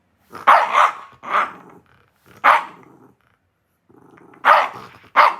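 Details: Indignant lonely Shiba Inu confronting its owner: a burst of two or three loud barks, a pause, another bark, a short soft growl, then two final sharp barks close together.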